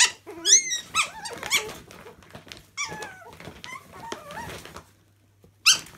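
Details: Chihuahua puppies playing in a laundry; a burst of high squeaky yelps and whines with rising and falling pitch, several overlapping, then a pause and one more sharp squeal.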